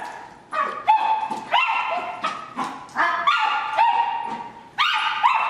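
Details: Two terriers playing, giving high, harmonic yelping barks that often slide upward. They come in bursts every half second to second, with short pauses between.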